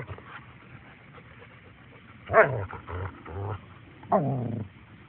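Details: German Shepherd offered for adoption, making two short, strained vocal outbursts, a harsh yelp then a longer whining growl about two seconds later, in an otherwise quiet indoor setting.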